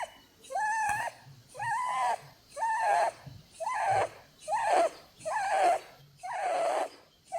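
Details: Holland Lop rabbit Blueberry, female, asleep and snoring; seven drawn-out whistling breaths about a second apart, growing rougher and more wheezy toward the end.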